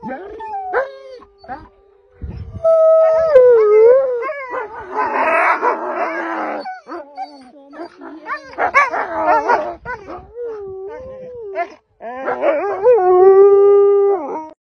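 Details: Several gray wolves at a sanctuary howl together, long wavering tones sliding up and down over one another.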